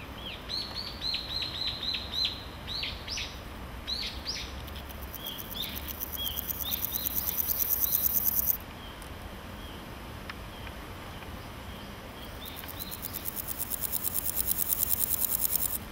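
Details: Chirping birds fill the opening seconds before a male naki-inago grasshopper in grass starts rasping with hind legs on wings, giving two bursts of fast, high, pulsed buzzing that swell in loudness, separated by a quiet gap.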